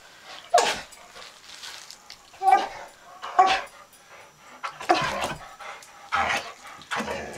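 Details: Dog named Bandit, available for adoption at the Austin Humane Society, near a cat; short sharp barks come in separate bursts every second or two, with faint background noise between them.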